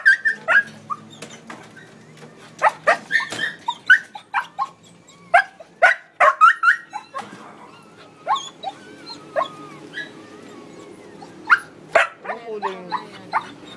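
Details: Siberian Husky in labor while giving birth; short, high, squeaky whimpers and yelps come in quick irregular bursts, some with a thin whining tone, while people talk nearby.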